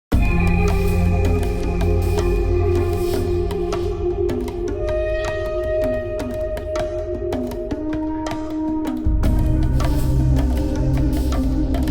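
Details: Instrumental music with flute-like tones over steady drums and percussion fills the whole stretch, with no animal voice.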